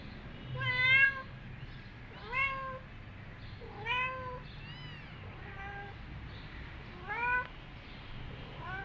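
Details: Mother cat back with her kittens after two days, feeding them milk; a series of about six clear harmonic meows, each rising then dipping, roughly every one to two seconds over a low steady hum.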